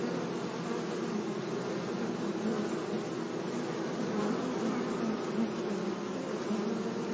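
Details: Many bees buzzing among flowers in a sunny meadow make a continuous low drone with a soft, wavering pitch, swelling and fading gently as individual insects pass closer, with no other clear sounds.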